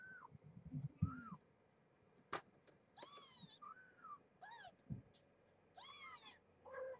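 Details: Indoors, kittens of rescued stray Marge's five-kitten litter, born November 22, 2014, mew after being woken from nursing naps to be weighed: about ten thin arched mews, rising then falling, some overlapping, among soft knocks and handling noise.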